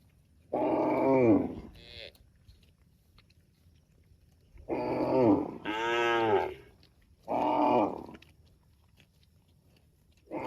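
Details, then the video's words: Cute tame cows calling their extended family: a run of loud, rich, harmonic moos, some bending up then down in pitch, one following another closely in pairs across about ten seconds. "cows mooing videos | cute and funny cows sound mooing called his extended family"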